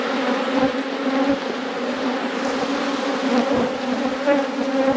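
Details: Honey bees humming inside an apiary hive as it is inspected: a continuous, even, low drone with layered overtones and no other clear sounds throughout.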